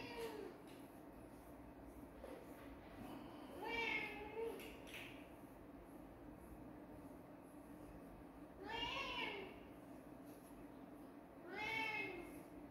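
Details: Quieter kitten mews scattered over several seconds: a soft double call, then two stronger arched meows spaced about three seconds apart, over a steady low background hum.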